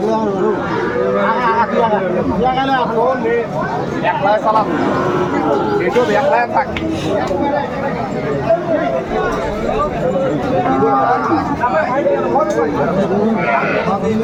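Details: Cows with calves at Aftabganj cattle market, Dinajpur, on 25 August: low, drawn-out moos rise through the noise while men bargain and chatter loudly close by in a busy crowd.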